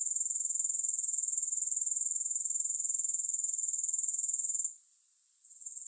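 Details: A dense, rapidly pulsed high trill from grasshoppers runs evenly for nearly five seconds, then fades abruptly to a faint, wavering remnant before rising again. No music.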